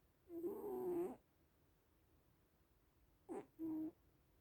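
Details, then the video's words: Snoring from sleeping little cats: one long buzzy, wavering snore of about a second, a short breathy catch, then a briefer harmonic snore, with quiet pauses between. "Sleeping little cats (and snoring)"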